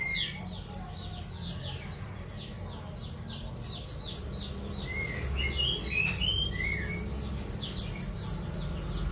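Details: Steady, shrill cricket chirps meant for training songbirds, around 35 sharp pulses at close to four per second, with scattered faint sliding whistles of birds behind.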